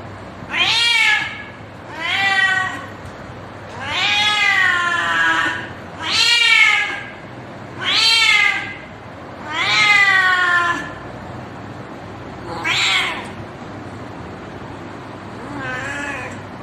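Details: Mating call of a cat seeking a partner: nine long wailing meows, each rising and bending downward with strong harmonics, roughly every two seconds, the last ones shorter and softer, no other sounds.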